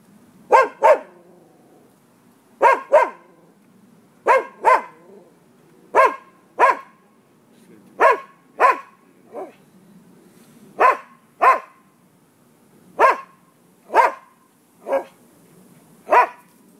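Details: Dogs barking persistently near a residential property on 5 November 2015 about noon, a steady series of sharp barks often falling in quick pairs, repeating roughly every second or two throughout, over a low background hum.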